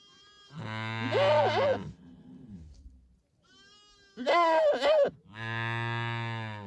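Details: Domestic goat bleats, wavering and nasal, mixed with deep, steady droning calls of a larger farm animal, possibly other livestock nearby.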